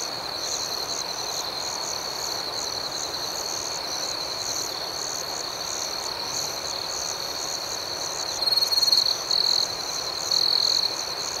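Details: Crickets in the night, a constant shrill trill and rapid rhythmic chirping pulses, steady for eight seconds before two louder, brighter buzzing bursts toward the end.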